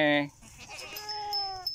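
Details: Goat giving one short, loud, nasal bleat with a strong harmonic stack lasting under half a second, followed by quieter wavering tones and faint background voices.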